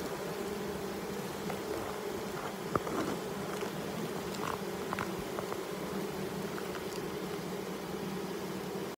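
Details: Colony of honey bees living inside a chimney beneath a roof on 4 July 2019, giving an unbroken droning hum of many wings, with occasional light taps and one sharp knock.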